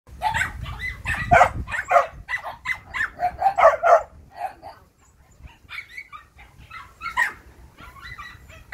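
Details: Yellow female Phu Quoc Ridgeback, about six months old, muscular with a long ridge, kept at a Phu Quoc dog kennel in Saigon and described as a rat hunter. Rapid, dense barking in bursts during the first half, then scattered sharper yips.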